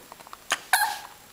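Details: A West Highland White Terrier puppy gives a short, high, yappy bark after a brief huff.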